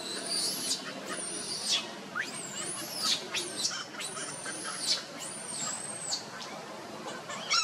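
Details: Baby monkey Luno crying for his father Tum to come pick him up, his sister Lucie nearby: long, piercing whistled wails, each arching high then dropping sharply, repeated about every second with little pause.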